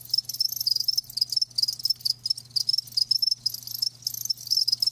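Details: Several live crickets chirp in rapid high bursts, each a short buzzy trill, grouped into quick runs with brief pauses roughly every second, over a constant low hum.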